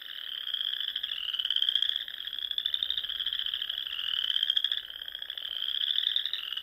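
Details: Spring dusk chorus of frogs in the dune country of Nebraska's Sandhills: high, buzzy pulsed trills that slowly rise and fade in waves every couple of seconds, with no other sounds.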